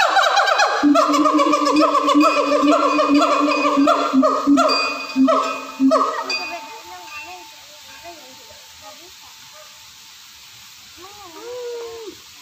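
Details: Siamang morning call at a zoo: loud, rich, pulsing hoots in quick succession for about six seconds, then quieter wavering notes and a few rising, looping whoops near the end.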